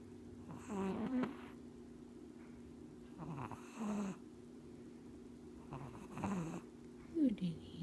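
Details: Japanese Chin puppy named Houdini, sleepy and fighting to stay awake, snoring with his eyes open indoors; low rasping snore breaths come in short bursts roughly every two and a half seconds, with faint human voice between.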